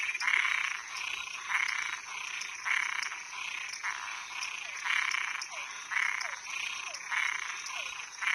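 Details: Nocturnal chorus of toads and tree frogs, with rattling pulsed croaks repeated roughly once a second in a steady rhythm, plus faint short downward chirps and a constant high background hum.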